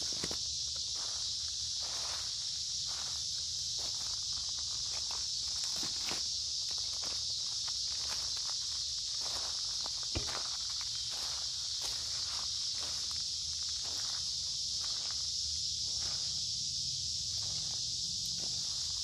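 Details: A dense cicada chorus rings out in summer woods by a creek on a humid, warm day. The high, continuous buzz stays level throughout, while crunching footsteps and leaf rustles sound almost every second.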